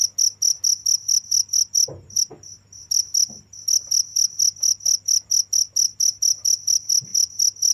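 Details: Cricket chirping without pause, a high, even pulse of short chirps about four per second, with a brief fainter stretch near the two-second mark and a low steady hum underneath.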